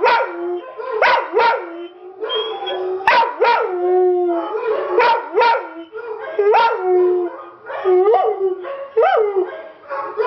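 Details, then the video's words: Domestic dog, never having howled before, howls along to a recording of other dogs; repeated wavering howls that rise sharply then hold a long even note, broken by short yelps. "Buck Howling"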